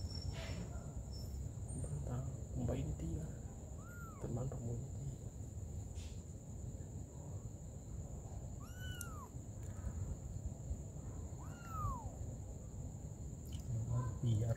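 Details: Mother cat tending her baby kittens. Three thin, high mews, each an arched rise-and-fall tone, spaced several seconds apart. A steady background hiss and faint human voice sounds are also present.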